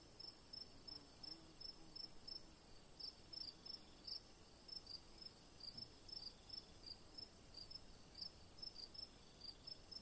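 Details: Crickets at night beneath a full moon, rapid high chirps in loose pairs and clusters, steady throughout, backed by a constant shrill tone and quiet low murmur.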